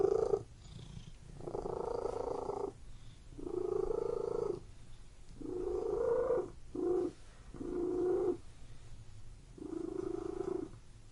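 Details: Purring domestic cat in a room, a steady rhythm of loud rumbling phases about a second long broken by quieter gaps, seven loud bursts in eleven seconds; background otherwise quiet.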